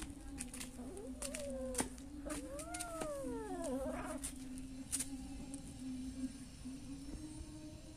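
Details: Wild cat described as kucing mata panda, panda-eyed cat: a short rising mew, then one long meow that swells and falls away, over a steady low humming drone with scattered clicks and taps.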